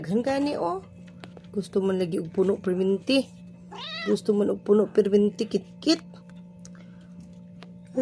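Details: Hungry cat waiting for its food to be refilled, giving a run of short, wavering meows, some drawn out and bending in pitch, mixed with a person's coaxing talk, faint music and a steady low hum.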